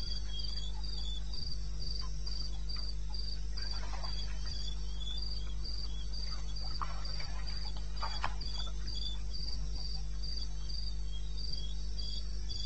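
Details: Night chorus of crickets in eastern Botswana's wilderness, recorded 21 May 2016 at 02:30 AM: evenly spaced shrill pulses in a fast, regular rhythm, a fainter lower-pitched cricket interleaving, brief soft rustles and a steady low drone behind.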